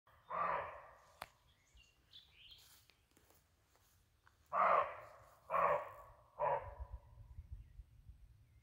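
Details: A barking deer in Halland, Sweden, in May gives loud, harsh, short barks, one and then three more about a second apart.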